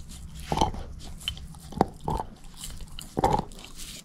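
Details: Female shepherd mix Moose chomping a bone. Four distinct crunchy bites ring out over a few seconds, separated by brief pauses of quiet gnawing.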